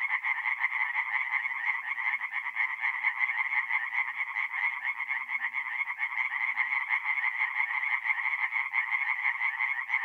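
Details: Tree frogs singing at night in a forest pond in mid-April, North-East Italy: a dense, continuous chorus of rapid nasal pulses centred high, overlapping voices merging into a steady rattling wall of sound without pause.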